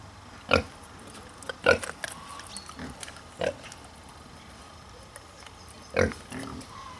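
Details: Two Hungarian Mangalica woolly pigs, an endangered breed, in their enclosure at a mini zoo in Wanne-Eickel, Ruhr area, Germany, grunting while cuddling: four short, harsh, harmonic grunts spaced irregularly over seven seconds, with a quiet background.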